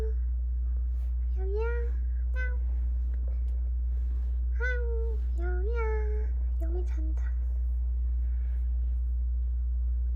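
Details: Kitten, one of a pair that endured a cold snap together, diagnosed with the dry neurological form of feline infectious peritonitis; several short, rising-then-falling meows at about two, five and six seconds, with soft human speech and a steady low indoor hum.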